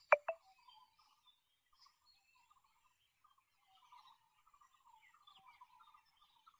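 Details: Sambar deer; alarm call; warning that a predator is nearby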